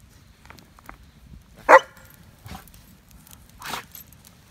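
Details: German Shepherd Odin meeting another dog on a fall 2017 backpack camping trip at Devils Den, Arkansas. One sharp, loud bark stands out, followed later by a softer short yelp, over quiet rustling and footstep-like ticks.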